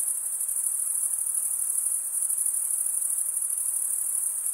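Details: Male crickets stridulate in a steady chorus, a shrill high trill sustained without gaps and with tiny rapid pulses, level and unchanging, backed by low faint ambient hiss.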